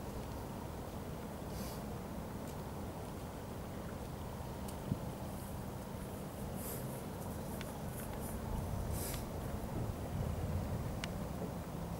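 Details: Steady low rumble of wind and distant traffic, broken only by a few faint ticks and clicks, with no clear animal voice.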